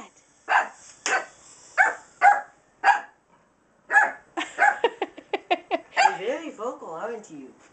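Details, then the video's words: Dog indoors reacting to a moving wind-up toy with loud, clipped barks, spaced at first then tumbling into a rapid run of yips, with people laughing over the last seconds. "barking at wind up toy"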